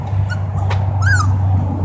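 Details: Siberian husky family with puppies in Oregon; one brief high whine arcs up and then slides down near the end, with faint squeaks just before, all over a steady low rumble.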